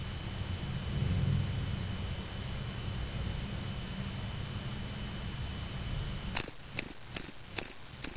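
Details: A spring field cricket (Gryllus veletis), collected May 25, 2007 in Waterloo, Ontario, Canada and kept in a small cage, sings a series of short, high, pulsed chirps after a quiet stretch of background hiss.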